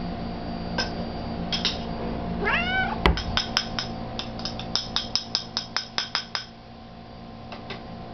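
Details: Cat at a midnight treat with a second cat, uttering a single short bent meow midway, followed by a run of quick sharp clicks like crunching or tapping. A low hum sounds throughout.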